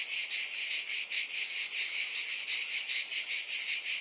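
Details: Bright, piercing cicada buzz pulsing in quick waves about twice a second, steady and loud with no other sounds.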